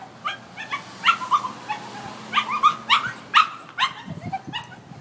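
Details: Upset dog left tied up outdoors without its people, giving scattered high, wavering whimpers and yelps in irregular clusters over a quiet background with a faint low hum.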